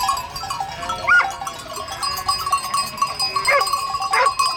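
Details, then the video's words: Goat bleats in a noisy pen: three quick nasal cries spread across a few seconds, one early and two close together near the end, with a constant ringing tone and chatter behind. "goat videos funny noises"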